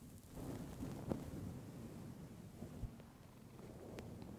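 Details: Clementine, a female pet cat, purring close to a fluffy microphone: a soft, steady low rumble that swells and fades with her breathing, with a few faint clicks and rustles on top.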